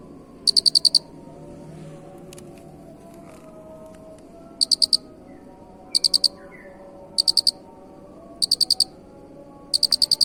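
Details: Cricket, a recording for training songbirds, with a pause before a string of high pulsed chirps of about six rapid clicks each, roughly every one and a quarter seconds, over faint background noise.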